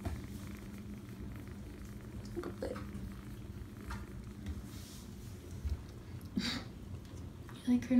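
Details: Indoors, a seven-week-old foster kitten purrs in a continuous low vibrating drone, broken by a few soft knocks and a louder bump at the end.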